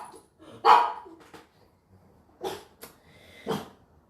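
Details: Dogs barking in the background, heard indoors during a live online session: three short, sharp, harsh barks spaced well apart over four seconds, the first loudest, with quiet pauses between them.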